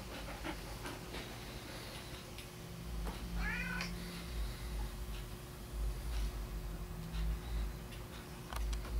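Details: Domestic male golden tabby, companion of a female Golden Retriever, utters a short, bright, stacked meow that bends upward and drops away, with low household hum, soft clicks and shuffling indoors.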